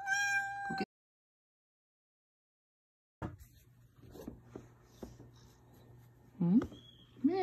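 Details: Female Ragdoll cat with a sweet voice, meowing and purring: a clear drawn-out harmonic meow, then a pause, then two short upward-sliding meows near the end over a steady low hum, with a person calling her nearby.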